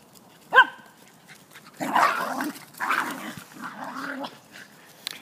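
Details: Two Jack Russell Terriers playing and play-fighting indoors: a sharp, high yelp, then a long stretch of rough, rumbling growls and scuffling snarls that rise and fall before fading.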